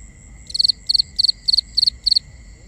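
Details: A cricket calling at night, binaural recording: six evenly spaced chirps roughly every third of a second, each a rapid cluster of three to four high pulses, over a continuous high tone and faint low background hiss.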